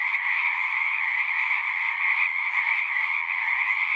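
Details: At a pond in a horse pasture, a frog chorus recorded with a Zoom device: continuous dense high-pitched trilling, evenly loud, with a softer lower band beneath and nothing else clearly heard.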